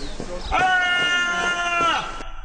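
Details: Barbary sheep yelling for no apparent reason: one long, loud, harmonic-rich bleating cry lasting about a second and a half, steady in pitch with slight wavering, ending abruptly, with faint background noise before and after.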